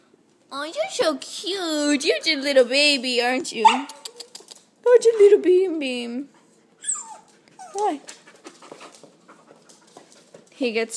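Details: A wrestling Husky pup of Husky, Chihuahua and Lab mix lets out long, wavering, throaty yowls lasting several seconds, then shorter broken vocal bursts with pauses between.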